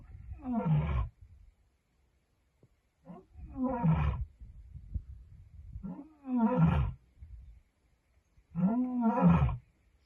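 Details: Lioness roaring to send a message: four deep, groaning roars about every two and a half seconds, each a low surging moan with rough harmonics, quiet pauses between, no other sounds.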